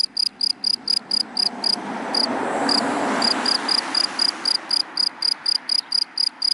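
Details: High, regular cricket chirps in dry grass by day, interrupted midway as a passing car's broad roar swells and fades, the chirping resuming steadily afterward.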